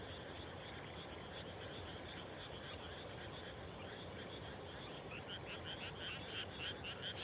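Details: Evening frog chorus after rice planting in the Japanese countryside, faint pulsed croaking at first that grows into closer, sharper rattling calls near the end, with low background rumble and a brief spoken word afterward.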